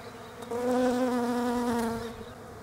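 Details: European honey bees foraging on Desert Ash flowers in autumn, Australia; a steady droning buzz with a rich harmonic stack swells in at half a second, holds loud, then fades as a bee passes close.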